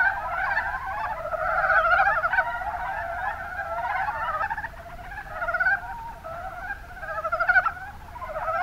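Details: Chorus of mountain brown frogs from Kuma Basin, Kumamoto Prefecture, Japan, many animals giving quick chuckling croaks in overlapping runs, swelling and easing with brief lulls near the middle and a loud burst toward the end.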